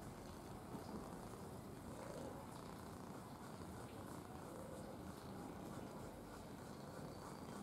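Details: A red (ginger) domestic cat, described as gentle and affectionate, purring: a continuous low, rough rumble sustained throughout without breaks, under a faint steady background hiss.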